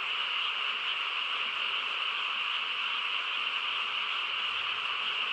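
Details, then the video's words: Frogs chorusing on a quiet countryside night: a dense, unbroken trilling wall of many overlapping callers, steady in loudness throughout, with no other clear sounds. "고요한 시골 밤에 개구리 합창 소리"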